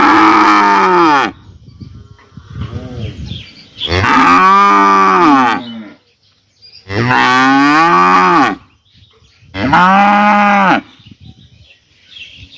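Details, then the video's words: Cows in a village during summer moo repeatedly: four loud, wavering, harmonic moos about two seconds apart, with a quieter grunt between the first two. "sound of cows mooing in the villages in the summer"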